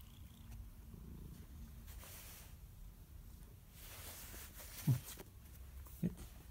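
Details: A steady, deep purr from Simba, a one-year-old male brown-and-white cat recorded in Erlanger, Kentucky on 17 March 2017. A faint higher hum fades out early, and two brief louder knocks sound near the end.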